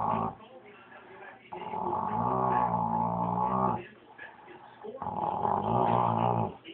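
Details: Pet dogs Cowboy and B.B. growling, recorded on an Android phone: two long, low, rumbling growls with strong harmonic bands, each lasting about two seconds, separated by quieter pauses, with a radio talking in the background.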